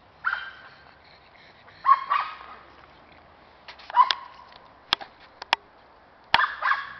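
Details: Cairn Terrier on a squirrel hunt, yapping in scattered bursts of sharp, high barks with pauses between, plus a few clicks or knocks.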